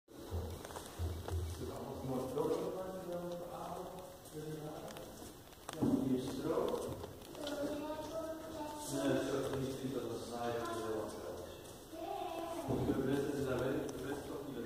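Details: Siamangs (Symphalangus syndactylus, endangered) at Antwerp Zoo give a chorus of loud, ringing whoops and barking notes in rising bursts, with deep booming tones beneath the higher calls.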